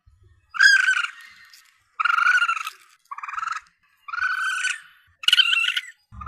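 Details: Asian palm civet young, for calling in game while hunting: varied, grating mewls, some drawn out and fading and others clipped, following one another closely, with a faint low rumble at the very end.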